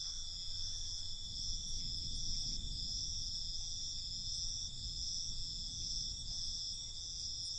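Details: Crickets at night, a steady high shrill trill holding unbroken through the whole stretch, with a soft low rumble of background noise underneath.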